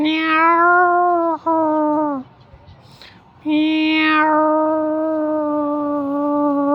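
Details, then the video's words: Meows from a mother cat with her kitten: two drawn-out, tonal cries, the first falling slightly over two seconds, the second starting bright and holding a long level note for over three seconds. "Mom Cat kitten meowing little cat মিও মিও"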